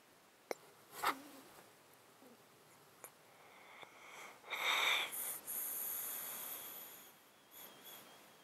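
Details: Domestic cat asleep in a box, with a long-standing disease that makes it sound snotty and sneeze constantly, recorded close up: wheezy, snuffling breaths with a stronger hissing, snoring stretch midway, plus a few faint clicks.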